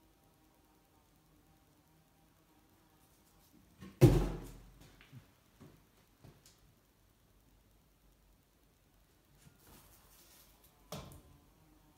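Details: A near-silent small room is broken by a sharp thud, like a door or cupboard closing, then a few soft knocks and a second thump.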